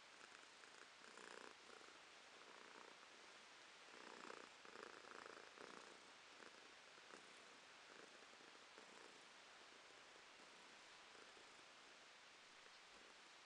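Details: Purring female house cat recorded in November 2022, a long, steady, soft purr pulsing with inhale and exhale, slightly louder in the middle, calm and uninterrupted.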